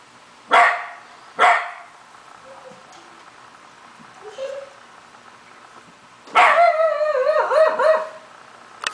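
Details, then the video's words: A Shiba Inu that normally never barks gives two sharp barks, then a wavering, yodel-like howl as it has started howling. "Shiba Inu Call of the Wild!"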